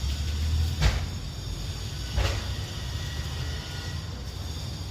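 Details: A low rumbling hum broken by two dull knocks, like a door or cupboard, with no animal calls.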